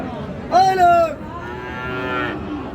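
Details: Cattle at a farm sale on 3 March, where a Faridpur farmer buys bulls with a Friesian heifer from Dinajpur. A loud harmonic moo swells then falls over about half a second, followed by a fainter, longer, flatter second moo.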